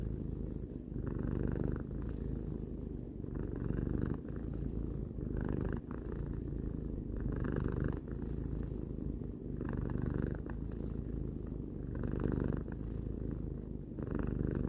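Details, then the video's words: Relaxed three-year-old house cat giving a long, unbroken purr; a soft rumbling buzz rises and falls rhythmically with its breathing, about seven breath cycles heard in a quiet room. "Cat purring"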